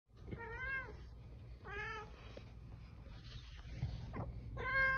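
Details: Domestic cat meowing indoors: three drawn-out, harmonic-rich meows, each rising then falling, spaced about two seconds apart, with low room hum beneath and a faint rustle between calls.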